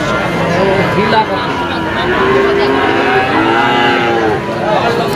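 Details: Friesian bulls for sale at a cattle market in Bangladesh, many animals lowing together in a dense wash of overlapping moos, steady and continuous, with crowd noise beneath.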